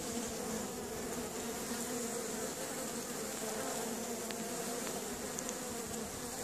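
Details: A steady, many-voiced hum of Western honey bees (Apis mellifera) active at a hive entrance in an apiary in Caribou, Nova Scotia, on a sunny April 25, 2015.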